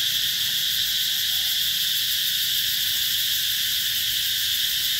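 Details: At Mỹ Luôn eco-tourism site in summer 2021, cicadas keep up a steady piercing buzz, a seamless high drone without rhythm breaks over the whole stretch.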